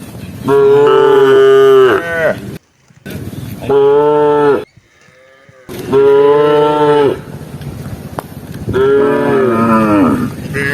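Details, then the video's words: A herd of tame cattle roaming rice fields in search of grass gives four strong moos in quick succession, each steady and harmonic, the last wavering downward, with faint background noise between calls. "Suara Sapi Jinak Di Persawahan"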